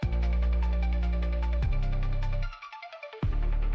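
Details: Electronic music with deep throbbing bass and sharp beats, with no animal sound heard. The bass drops out briefly before returning with a strong hit.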